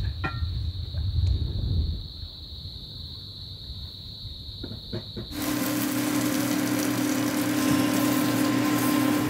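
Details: Cicadas in Tonga just after sunset, on a cool, breezy, rain-clouded evening aboard a boat, giving a steady, high, unbroken buzz before music takes over.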